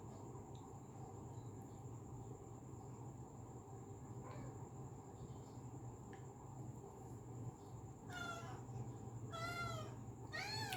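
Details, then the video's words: Domestic cat calling sweetly, a pet filmed indoors; quiet background hum for most of the stretch, then three clear harmonic meows near the end, each rising then falling, the last one loudest. "मीठी आवाज मे बुला रही है"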